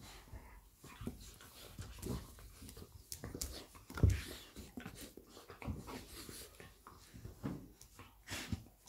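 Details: Labrador Retriever mother Lilly playing with her puppy Molly inside: quick breathy panting and huffing, soft growly bursts and one sharp thud near the middle, amid continuous rustling and scraping.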